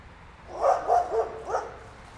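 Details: Neighbour's dog barking: four quick, rough barks bunched within about one second, each a short harmonic burst, over a quiet, steady background hum.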